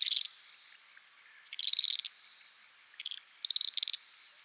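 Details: Uruguay harlequin frogs (Lysapsus limellum) calling at night from a small puddle in flooded savannah of the Pantanal, recorded with a Sony PCM A10 and Lom mikroUsi microphones; rapid high clicking trains in bursts, over a steady high insect drone.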